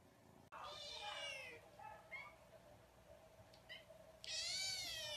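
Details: Kittens meowing: a long wavering meow, then short squeaky mews, and a loud, high, drawn-out meow at the end, with low background hum.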